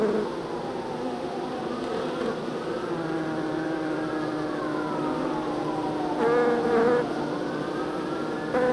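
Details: Honey bees transferred from a nuc to a hive, a continuous hum of many bees with pitches sliding up and down as individuals fly past, plus a brief louder burst near the end.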